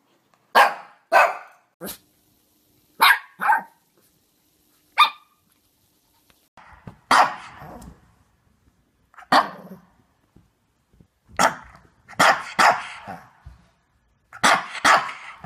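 A Shih Tzu barks in sharp, high yaps, singly and in quick pairs with short pauses.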